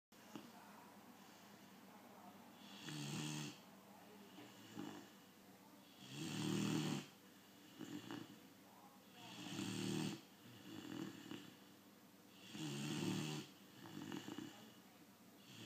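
A Great Dane puppy snores in slow, rasping breaths, roughly every three seconds.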